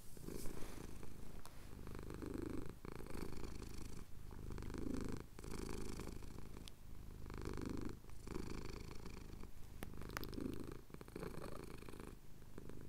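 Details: Male pet cat purrs while his chin is scratched at dawn in the Cotswold hills; deep continuous rumble pulsing with breaths about every two to three seconds, faint clicks between cycles.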